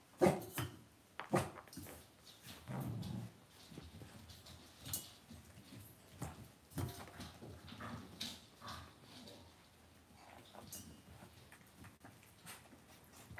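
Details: Indoor puppy pen holding Cavalier King Charles Spaniel puppies: a short whimpering cry opens, a lower grumbling whine follows near three seconds, then shuffling, clicks and bedding rustle take over.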